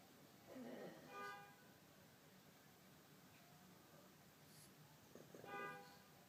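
A pug puppy makes two short, nasal, honking whines, separated by a few seconds of quiet.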